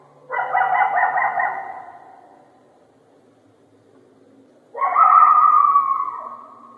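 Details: A coyote gives two long, harsh, drawn-out barks that trail slightly downward, separated by a pause.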